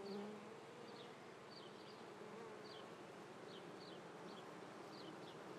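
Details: Bees of an apiary in Treviso, recorded on the morning of 22 May 2010 during the swarming month: steady low buzzing drone with a few louder passing hums and repeated faint high bird chirps.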